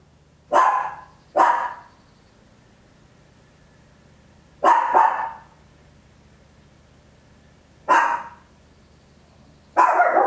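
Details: Small Papillon dog at home, recorded in stereo with an Olympus LS-11, giving loud barks: paired quick barks, then single ones, six in all at uneven intervals, with a low background hum.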